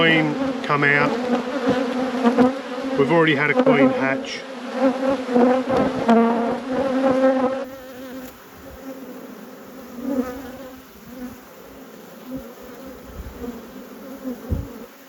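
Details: Honey bee colony buzzing in an apiary during inspection. The loud, wavering hum fills the first half, then drops to a softer, thinner drone with scattered clicks and handling noises.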